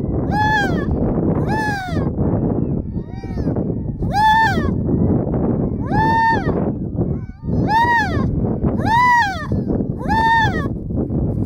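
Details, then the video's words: Baby harp seal, filmed up close in 2019, gives a run of nasal, wailing cries, each rising then falling, about one every second or so, over steady rushing wind noise. "あざらしの赤ちゃん11【接近】☆harp seal baby"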